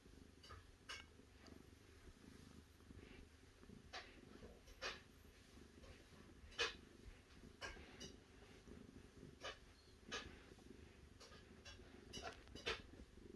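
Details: A cat's continuous low, throbbing purr runs under scattered sharp clicks and light rustling, like fur or movement close by.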